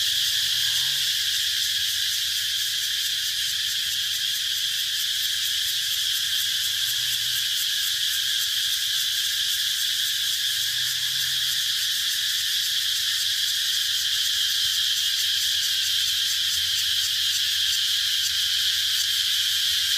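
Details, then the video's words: A continuous high, hissing cicada drone holds even and unbroken for twenty seconds. A faint fast flutter rides on top, and a soft low rumble sits beneath. "Cicada sound"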